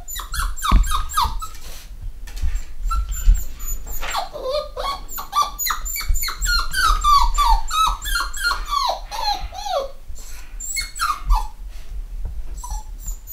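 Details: Litter of eight-week-old black Cockapoo puppies, home bred in the UK, giving a busy stream of high, falling whines and yelps, several overlapping, nearly continuous for the whole stretch with brief pauses.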